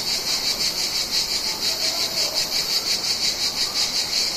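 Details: Mediterranean cicadas buzz in a continuous, high-pitched drone that pulses rapidly and evenly, as summer ambience.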